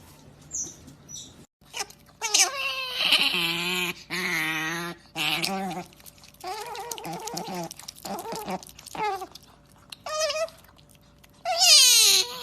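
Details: Otters making varied strange noises: wavering high squeaks, buzzy whines and short chirps in irregular bursts, some rising sharply and others falling, separated by brief pauses.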